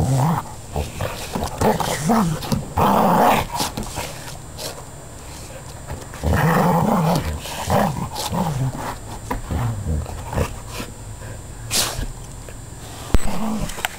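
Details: Two dogs at play, an Akita and a mixed border collie, Labrador and bull terrier, trade deep rumbling growls in irregular bouts, louder near the start and middle, with scuffling and a sharp knock near the end.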